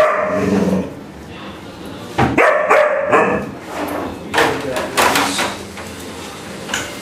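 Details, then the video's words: Alaskan Malamute puppy barking at a vacuum cleaner indoors: short clusters of loud, high yapping barks break in between a woman's calm, soothing speech. "Alaskan Malamute Puppy shouting at Henry Hoover"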